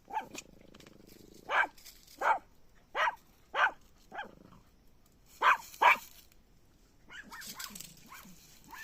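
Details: Puppy giving sharp, high-pitched yaps spaced roughly every second, seven or so in a row, followed by softer squeaky whimpers near the end against faint background hiss.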